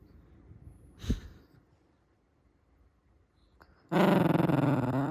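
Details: Shiba Inu at the height of its anger, a soft rumble broken by a sharp snap, then a loud harsh throaty growl with rapid pulsing that fills the final second.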